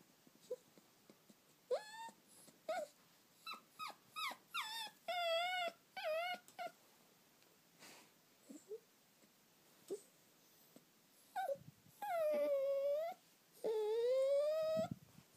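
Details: Eight-week-old golden Cocker Spaniel puppy on its first day home whimpering indoors: a run of short high whines, then longer drawn-out whining cries that rise and sag, with quiet pauses between.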